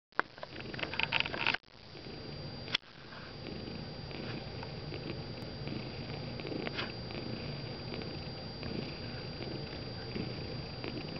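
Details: Gray and white tabby domestic cat purring while napping indoors: a steady, low, rough rumble that continues almost unbroken, with two brief dropouts near the start and faint soft rustles.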